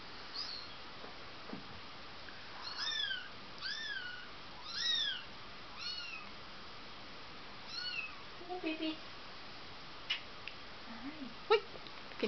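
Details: Bengal kitten Rudie, four weeks old, visiting her breeder in December 2007; a run of high, arched kitten meows, each rising then falling, about a dozen over twelve seconds, with quiet indoor voices and small knocks.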